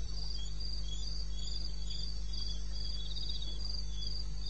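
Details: Crickets in eastern Botswana's wilderness at 2:30 in the morning, 21 May, give fast trilled chirps repeated several times each second, two voices overlapping at slightly different pitches above a continuous deep hum.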